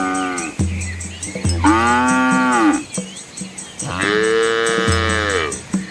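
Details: Cattle herd with young calves on a scenic rural road in Asia: two long arching bellows about two seconds apart, with short low grunts between them.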